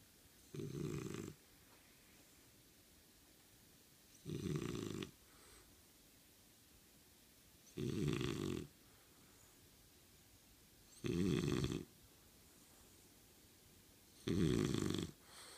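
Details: French Bulldog named Kotetsu snoring, apparently asleep but with eyes open, pretending to sleep; five loud low rasping snores, one roughly every three to four seconds, separated by quiet indoor pauses.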